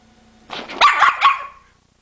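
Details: Female dog barking while her owner, speaking German, teases her about a tree and being too lazy to climb down; a quick cluster of three or four loud, harsh barks lasting about a second.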